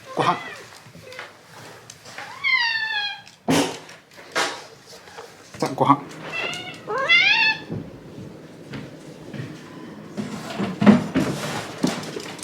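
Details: Talkative pet Shiba Inu indoors at bedtime, complaining in 'dog language' after being kept waiting too long; high, whiny rising-and-falling vocal moans in bursts around the third and seventh seconds, with a man's narration, thumps and household sounds.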